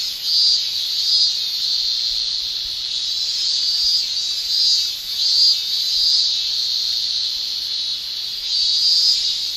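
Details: Male cicadas shrilling in a Japanese summer, sound made with the tymbal: a dense, unbroken high buzzing chorus that swells and fades slightly every second or so, with no other clear sounds.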